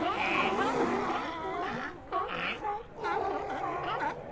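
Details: Sea lions calling together in a colony, a dense overlapping chorus of gargling, roaring moans with harsh, noisy edges and brief dips between bursts.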